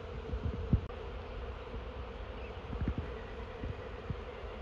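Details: Swarm of honey bees going into a new hive: continuous low droning hum of many bees, with a few sharp thumps and handling knocks near the microphone.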